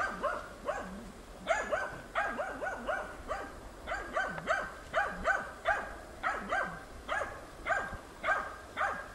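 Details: Hunting dog Tina persistently holding young wild boar at bay during training, 6 March 2013. Steady hoarse barking, roughly two barks per second, often in doubled bursts, continuing without a break over faint rural background noise.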